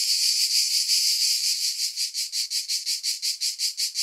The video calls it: Relaxing Cicada Sounds - Black Screen